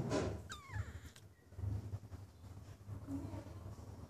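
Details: Stray cat filmed in January 2016, giving a single short meow that bends downward with bright harmonics, then quiet low background rumble with faint handling noises.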